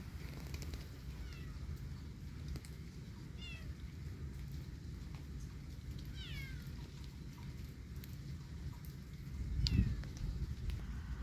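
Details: Kitten walking in the yard in rainy weather; a few faint, high, quickly falling meows come every couple of seconds, four in all, over a steady hiss of rain.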